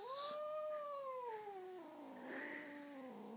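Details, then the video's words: Pet cat responding after being called by name, giving one drawn-out, slowly falling, tonal meow that sags and trails off over about three seconds. "Cat Bamboo is singing / Bambusz cica énekel"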